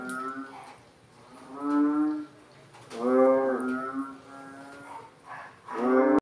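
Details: {'caption': 'After rain, frogs answer each other in turn with drawn-out, nasal, moaning calls lasting about a second, three or four of them spaced a second or more apart, with a faint hum between them.'}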